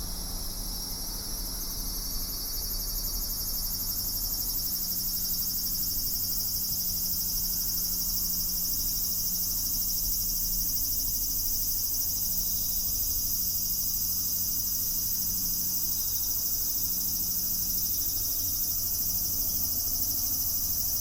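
Cicadas singing in a steady, high, shimmering buzz that fills the air without pause.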